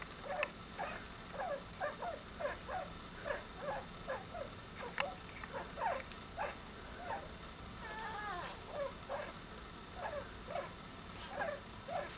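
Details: A litter of newborn Soft-coated Wheaten Terrier puppies squeak steadily, with brief high descending squeals repeated about twice a second and a longer wavering whine midway, over a soft background hiss.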